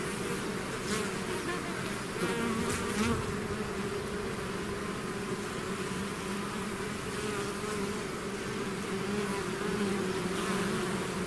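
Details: A swarm of bees leaving its hive fills the air with a thick, constant buzzing; a few close wingbeats rise and fall over the steady low hum.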